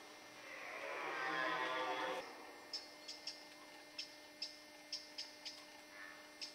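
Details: Red deer rut in the Forêt de Chaux, Jura, France, near Dole, amid fights between stags and hinds: one loud, rasping, harmonic bellow for about two seconds, then a run of sharp, evenly spaced clicks.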